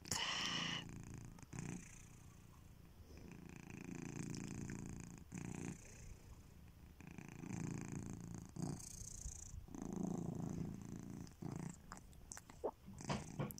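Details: Sleeping domestic cat Kitiboy gives a breathy, rumbling snore in repeated swells a few seconds apart, each breath broad and hissy, heard close up in a quiet indoor space with a few faint clicks between breaths.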